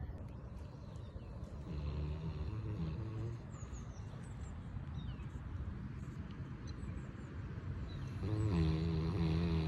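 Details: A Caucasian Shepherd Dog, heard on a morning outside the house, snores in heavy, low rumbling breaths, some buzzy and tonal, growing louder near the end; faint high chirps, possibly small birds, briefly in the background.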